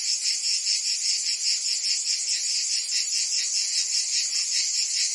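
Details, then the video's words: A mass of cicadas sings through a Provence summer in France, their high, sizzling buzz throbbing in quick regular pulses, a little over two beats each second, steady and even. "Cicadas singing in France (Provence)"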